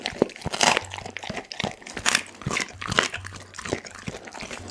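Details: Pit bull named Dagi eating a whole chicken, captured on an Insta360 ONE R camera: sharp wet crunches and bone-cracking bites in irregular bursts, several per second, with softer gnawing and smacking between them and a low steady hum underneath.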